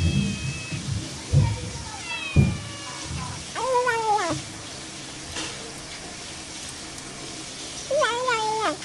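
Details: Cat meowing: two drawn-out, wavering meows, the second rising then falling, after a few low thumps and faint high whistled tones in the first seconds.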